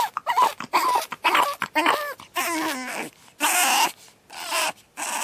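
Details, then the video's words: Pug puppy named Batman on his second night, screaming in rapid bursts of harsh, high wails and squeals with wavering pitch, separated by brief silences. "Pug Puppy Screaming"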